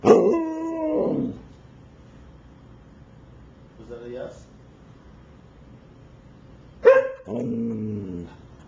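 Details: A Siberian Husky gives drawn-out, talkative howling yowls with wavering harmonics, asking to be let outside; recorded September 21, 2009.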